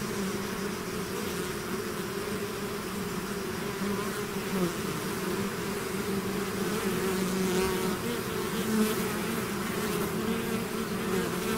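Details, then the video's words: Bees swarming out of their hive hum in a continuous dense drone, low-pitched and level, a few individual buzzes swelling and fading over the mass of wingbeats. "bees therapy swarm natural buzzing sound"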